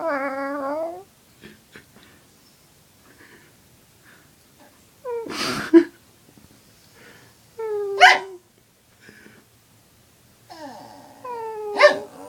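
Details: Pet dog at home howling back at its owner's odd noises; short rising tonal howls mixed with breathy, noisy bursts, separated by quiet gaps of two to three seconds.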